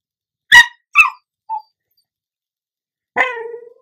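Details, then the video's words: A pet dog, she, begs for chips with two sharp yips and a small squeak, then after a pause a longer, falling whine that trails off, indoors. "Talking dog"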